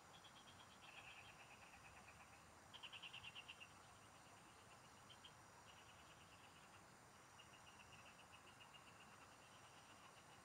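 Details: In the fields, frogs sing while someone fishes: rapid rattling pulse trains, one louder burst near the middle, then softer overlapping series, with a steady shrill drone in the background.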